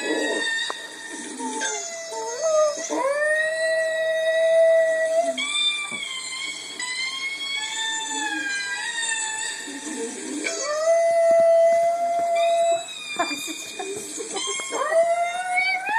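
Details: Female Chihuahua howling back at a recording of herself: long, wavering tonal howls that rise and then hold steady, sliding between pitches, overlapping with the replayed howling and its high harmonics.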